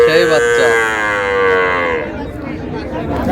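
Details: Cattle among cows and calves for sale at Raniganj haat, Dinajpur, on July 29, 2026. One long, rich, drawn-out bawl of about two seconds, sliding slightly downward, then fading into market chatter and background noise.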